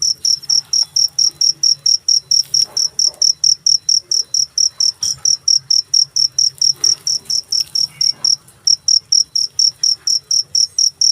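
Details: A single cricket calling in a fast regular series of piercing high chirps, roughly two to three a second, with faint low rumble and scattered small noises behind.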